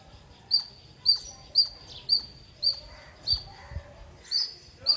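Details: Repeated piercing squirrel chirps, each short and bright, arriving about twice per second with slight irregularity and quiet rustling beneath.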